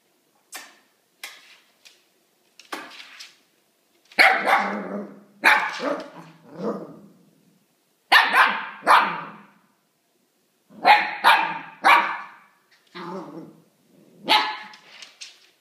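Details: Pet dog that was just given a new plush rabbit, calling it to play: bursts of short sharp barks mixed with whiny, grumbling yelps, coming in clusters of two or three with quiet gaps between them.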